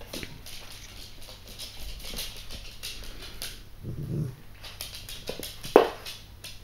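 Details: Lulu, a seven-week-old female Yorkshire Terrier puppy, playing indoors with her chew: a brief low growl midway, then a single sharp yip, over soft rustling and handling noises.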